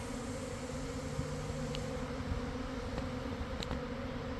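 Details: Midday swarm of honey bees around a garden hive following cold, damp weather. A constant low buzzing drone with a few faint ticks and clicks on top.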